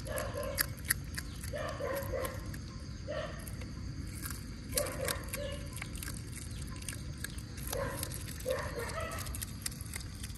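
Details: Mealtime for otters in a mangrove setting with mullets returned: repeated short chirping yelps, often doubled, spaced a second or two apart against constant broadband hiss.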